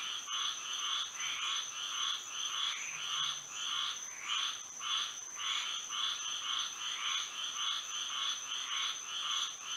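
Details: Night chorus of frogs in Florida by moonlight, short nasal croaking bursts stacked in rapid succession, nearly two per second, with overlapping callers and an unbroken thin high whine running throughout.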